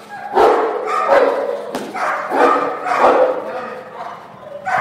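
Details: Cane Corso in bark and hold training, giving deep, loud barks in irregular bursts, about five over five seconds, with a faint steady hum beneath.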